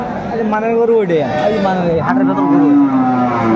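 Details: Improved-breed dairy cattle at Aftabganj market, Bangladesh, 26 May 2024: overlapping bellowing moos, one wavering then a long steady one, with market chatter underneath.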